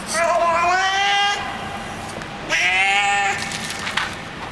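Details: Hungry street cat fed in a garage basement makes two long, strained, bleat-like harmonic cries while eating, each over a second, with clicks and chewing noises after.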